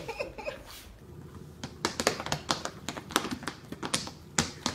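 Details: Indoor sharp taps and clicks in quick irregular bursts, with faint speech and laughter; no animal voice.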